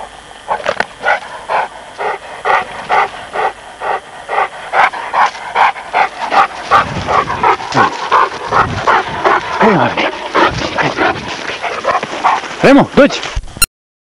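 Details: Playful Presa Canario and Neapolitan Mastiff puppies barking steadily in short, bright yaps, roughly two or three each second, then a tangle of overlapping yips and whines toward the end, with a little human speech mixed in.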